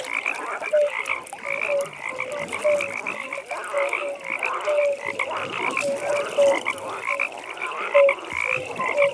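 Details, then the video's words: Evening pond with a frog chorus: brief clear croaking notes repeat roughly every half second to second over a constant high rattling drone from many callers. "15 Minutes Frog Pond"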